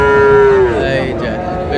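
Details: Friesian or crossbred bull calf at the Raniganj cattle market in Dinajpur: one loud, steady, nasal moo that slides down at the end, with crowd chatter and market noise behind.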